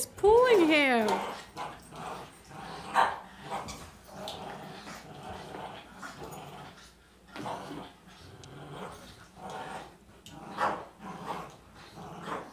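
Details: Boston Terriers, a small 18 lb dog and a 40 lb dog, in a tug-of-war game. A brief high wavering whine opens, followed by repeated low rasping growls in irregular pulses, with a human voice faintly heard.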